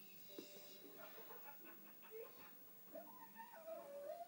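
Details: A person talks, then a male Lhasa Apso in a conservatory, teased with a pretend fly, lets out a high, thin, wavering whine that climbs in pitch, whimpering over the last second or so.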